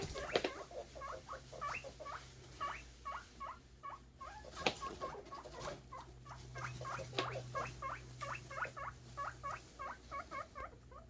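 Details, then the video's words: Guinea pig boars squealing eagerly for food, a continuous series of short upward-sweeping whistled squeaks, several per second, with a couple of sharp clicks and a low electrical hum. "guineapig boars making happy noises for food"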